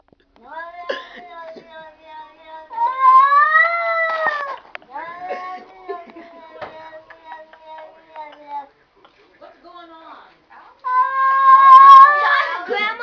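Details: Cats talking indoors: drawn-out, wavering yowls with rising and falling pitch, a long whining call in the middle and another loud rising wail near the end, separated by quieter murmuring sounds.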